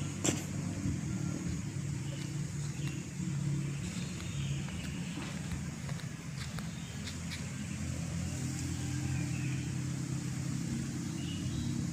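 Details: Steady low engine and traffic rumble outdoors, with a few sharp clicks and faint speech-like murmurs, and no clear animal voice.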